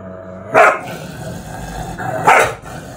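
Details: Two Border Collies at home scuffling over sofa space, one a white female, the other a short-haired Border Collie/Labrador cross objecting to being asked to move; two sharp barks about two seconds apart over a steady background hum.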